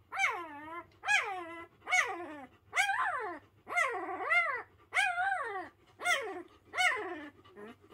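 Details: A Pyrenean Mountain Dog puppy not yet a week old, from a litter of three, protesting loudly. Loud arched whining cries repeat roughly every second, each rising then falling in pitch, eight in a row, with a faint low hum beneath.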